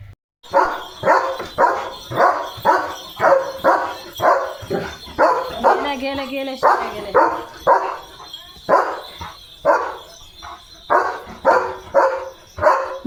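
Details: Excited German Shepherd barking for a chicken chips treat: steady series of loud, sharp barks about every half second, broken by a short quavering whine in the middle, continuing insistently to the end.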